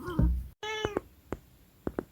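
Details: Munchkin cat at home making a short, bright meow, preceded by a person's voice and followed by a few soft taps and clicks in a quiet indoor room.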